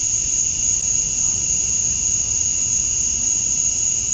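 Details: Male cicadas chirping to attract females at dusk on a summer night in Georgia, USA: a steady, unbroken high-pitched whine with a fainter lower band beneath, holding an even level throughout.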